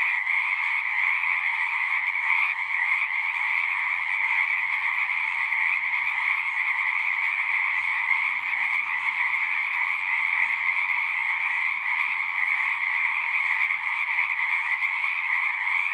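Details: Pond frogs in a horse pasture calling together, Zoom recording: a thick, unbroken wall of high trilling that holds steady for the whole stretch, a faint low rumble in the background.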